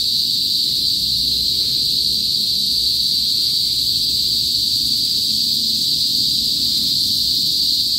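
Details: Cicadas, called kuliglig, in a province in the northern Philippines before sunset: a loud, continuous, steady shrill whine, unbroken and unchanging for the whole stretch, with faint low background rumble.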